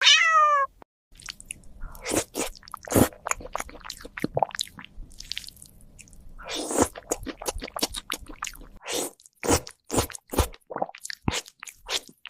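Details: Domestic cat eating: a short high meow opens, then a long run of sharp crunching and munching clicks, irregular and close, with brief pauses between bites.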